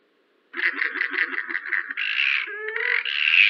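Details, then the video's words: Yellow-bellied glider vocalising in New South Wales forest, captured by forest ecology researchers; about ten quick throbbing pulses, then a sustained harsh grating shriek, short gurgles and a loud rising screech at the end, on a silent background. "Yellow-bellied glider calls"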